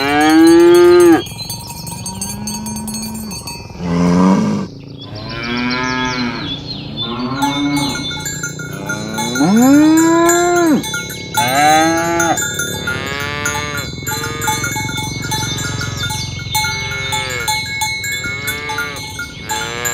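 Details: Herd of tame cows mooing as they are driven toward the pen in the morning, calling one another to gather; many overlapping moos, some rising and falling, with constant cowbell clinking throughout.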